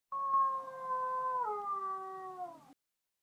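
A lone wolf howls in one long, smooth note, rich in overtones. The pitch holds level for over a second, then slides down a step and tapers away.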